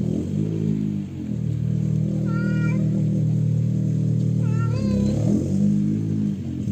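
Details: Stray mother cat with her hungry kitten, both scared at first, approaching people who feed them: two drawn-out meows, each bending up then down, rising over a loud steady low engine-like drone.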